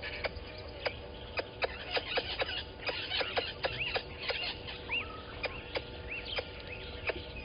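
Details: Alarm calls of a squirrel at Gowrie dam, Djuma Game Reserve, Sabi Sand Wildtuin, South Africa, aimed at a water monitor lizard below the cam at 11:45, 10/04/20: rapid sharp clicks mixed with rising and falling bird whistles.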